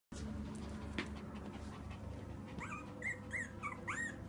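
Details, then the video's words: Pomeranian puppies giving short, high whimpers that rise and fall, clustered in the second half over steady indoor rumble and hiss. "Pomeranian puppies"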